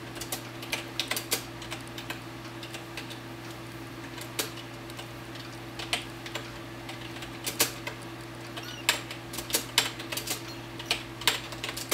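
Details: Quick dry clicks and taps, scattered and uneven like typing, sound through a small indoor room over a steady low electrical hum.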